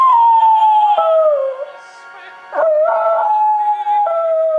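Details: A West Highland White Terrier howls in long, wavering, falling tones, singing along to the operatic aria "O Soave Fanciulla".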